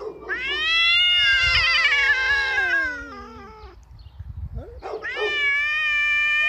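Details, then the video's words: Two domestic cats yowl at each other in long, wavering, rising-and-falling wails, likened to a crying baby, on 27 March 2017 in spring. A visiting ginger tom courts an uninterested female while a black cat confronts him, both walking slowly. "Marcowe miauczenie kotów"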